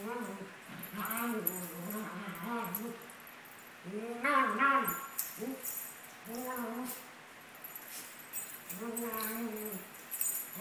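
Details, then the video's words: Two 17-month-old Maltese dogs, Sunny and Moony, playing together. Repeated arching, whiny yips and grumbling bark-like calls come in quick bursts with short pauses, and scuffling and light jingling can be heard between them. "Maltese dogs playing"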